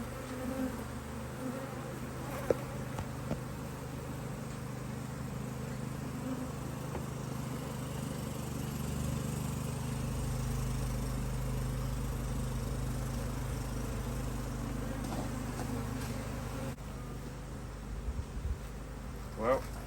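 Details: Honey bees in an Australian-designed Hive IQ beehive, opened to add a box of empty frames in almost mid-autumn 2023 in Australia, after fine weather with strong foraging. A steady, low droning hum runs throughout, with occasional knocks and clicks from handling.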